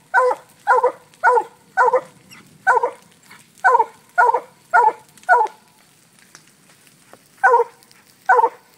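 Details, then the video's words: Barking from FOG, a Black and Tan Coonhound, treeing a coon let out of a cage: a fast, uneven run of sharp barks, a short lull, then more barks near the end. "Coonhound treeing on coon"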